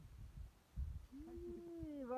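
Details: Sheep from a flock out on a hillside, a single drawn-out bleat that holds steady and then slides lower at the end, with rumbling handling noise and low background sounds just before it.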